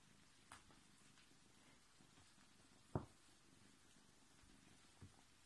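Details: Foster kitten purring indoors: a soft, continuous low rumble throughout, with a sharp click or knock near the middle and two fainter taps.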